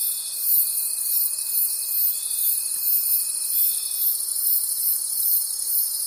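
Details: Forest crickets at night keep up a bright, piercing trill with regular pulsing swells; a steady thin tone underneath stops about two-thirds of the way through.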